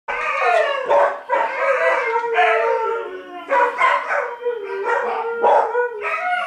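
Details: Three dogs, including a puppy, howling together after an air raid siren; overlapping wavering howls rising and falling, broken by brief pauses, with layered voices at different pitches.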